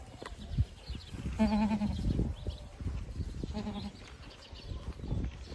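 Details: Boer goat on a farm giving two quavering bleats, the first longer and louder with a fast tremolo, the second shorter about two seconds later, over a steady low rumble of background noise.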